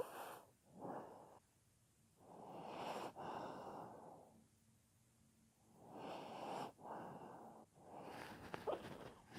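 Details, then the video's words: Soundly sleeping pet dog snoring: drawn-out raspy breaths lasting one to two seconds, alternating with quieter stretches, plus a faint low hum in the pauses. "Собака храпит / Snoring dog"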